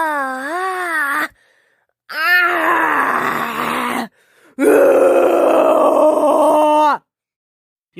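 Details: House cat giving three long groaning yawn vocalizations, each lasting one to two and a half seconds, harmonic and wavering slightly in pitch, separated by short silences, recorded indoors.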